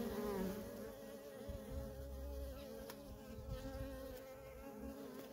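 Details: Steady buzzing of worker honey bees at a wild feral colony, dense low humming with a wavering higher whine from one nearby bee early on.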